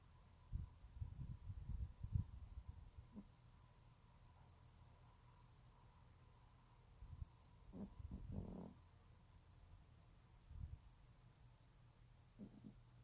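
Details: Sleeping teacup Yorkshire Terrier snoring: low, rough breathy rumbles come in irregular bursts, clustered at the start, with a louder snort-like burst near the middle and quieter stretches of near silence between.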